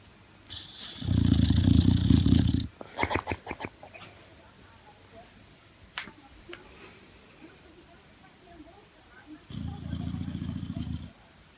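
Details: Male Boxer asleep and snoring, giving two loud, deep rattling snores about eight seconds apart, each under two seconds long, with a few short snorting breaths and faint clicks in the quiet between them.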